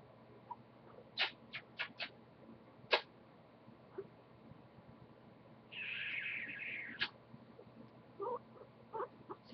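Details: Fluffy pet guinea pig named Goku makes scattered short clicks and squeaks, then a sustained mid-pitched whine lasting over a second, followed by soft chuts; quiet indoor room with a person cooing to it.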